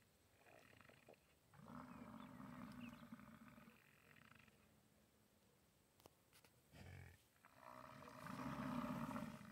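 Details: American bison roaring in the rut at the National Bison Range, Moose, Montana; two long, deep, throaty bellows, the first about two seconds, the second louder and swelling near the end, with quiet gaps between.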